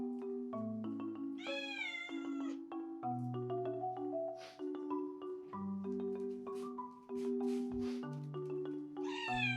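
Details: Lonely pet cat Kisuke, a prick-eared blue tabby Scottish Straight, lets out a long plaintive meow early on, soft short sounds in between, and a rising meow at the end, all under cheerful marimba background music.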